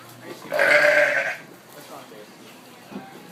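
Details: Zoo sheep in Honolulu, agitated as a llama is walked past, lets out a single rough, belch-like bleat of about a second, then only soft background noise and a brief faint sound.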